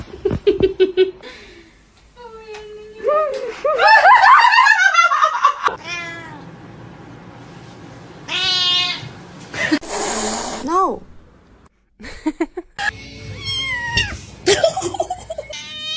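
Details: Domestic cat meowing repeatedly in a series of drawn-out, rising and falling calls, some strained and wailing, with short pauses between bursts and faint voices and laughter nearby.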